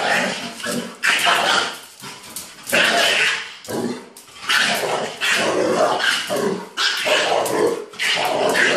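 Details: A Mastiff and a Chihuahua play together, as they do daily: loud bursts of rough growling and snarling barks about once a second, with short gaps between the harsh, noisy outbursts.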